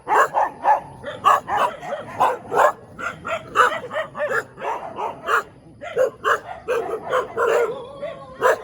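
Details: Dog barking in the morning in the middle of a road: a dense run of sharp, harsh barks, several per second, with overlapping yips that suggest more than one voice.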